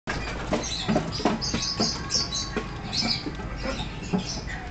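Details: Newly arrived degu at a pet shop in Kobe, giving high, thin chirps and squeaks in short bursts, mixed with soft tapping and rustling sounds in the enclosure.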